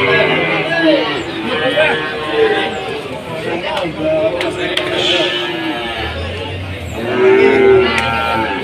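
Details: Cattle at the Jatirogo market in Tuban, amid a foot-and-mouth disease outbreak, low short lows scattered through a noisy, crowded scene of talking traders, ending in a louder, sustained moo near the close.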